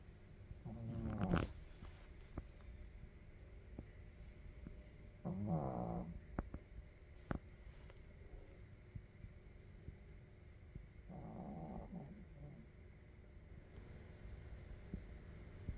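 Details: A sleeping puppy snoring: three soft, rasping, low breaths spaced several seconds apart, each a brief rumbling snore, over a quiet background hiss.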